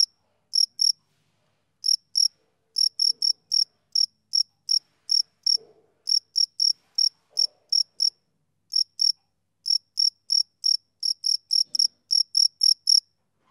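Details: Chirping male cricket: crisp, shrill pulses delivered in quick bursts, with a few gaps breaking the rhythm, a faint low knock once in the background.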